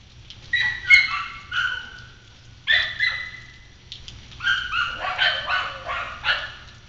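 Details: Agitated kennel dogs on Galla Creek reacting to an intruder in the yard; loud tonal barks in clusters, a pair early, another after a pause, then a rapid overlapping run of several barks from more than one dog.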